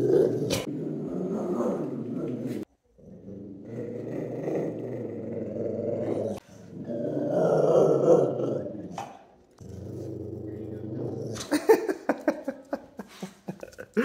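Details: A young blue Staffordshire Bull Terrier gives a happy growl, greeting with a toy each time its owner comes home indoors; long low rumbling growls in several bursts with short gaps, ending with clattering noises and laughter.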